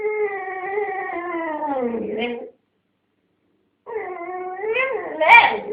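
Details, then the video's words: A blonde dog holding a dog chew between her paws while a second, red dog wants it, making her habitual strange racket: a long, level, slightly falling whining howl, a pause, then a wobbling moan ending in a sharp yip. "Funny Dog Noises"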